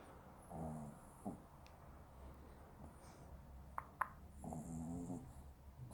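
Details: Maltese dog snoring while asleep indoors: soft, low, rasping snore bursts roughly four seconds apart, with faint room noise and a few sharp clicks between breaths.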